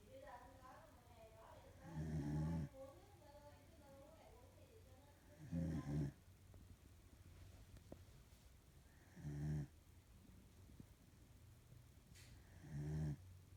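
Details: A female corgi, who snores a lot when she sleeps, snores in deep, rough rumbling breaths about every three and a half seconds. A human voice murmurs briefly at the start.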